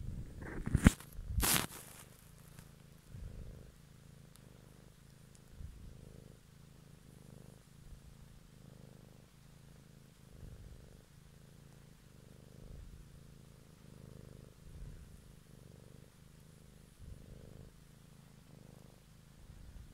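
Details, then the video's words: Purring cat captured for ASMR one evening, a soft, low continuous rumble pulsing with each breath, with a couple of loud rustling knocks in the first two seconds. "ASMR Cat song"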